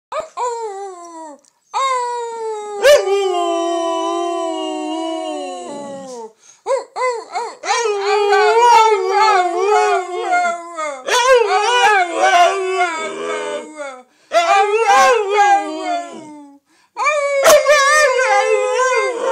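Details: Gracie, a pet wolfdog, howls with her family to reaffirm her place among them: one long, smooth, slightly falling howl, then several overlapping wavering howls in a chorus broken by short pauses, with a few sharp clicks.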